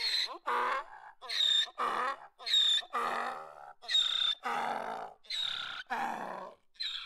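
A donkey gives a loud, rasping bray. Short, high, wheezy intakes alternate with longer, lower honking notes in a steady hee-haw rhythm that runs without pause.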